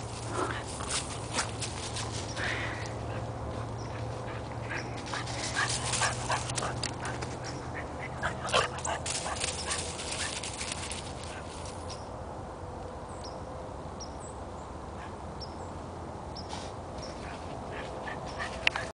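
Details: A Boston Terrier meeting a cow for the first time in a back yard gives short, sharp yips and whimpering barks in quick irregular bursts.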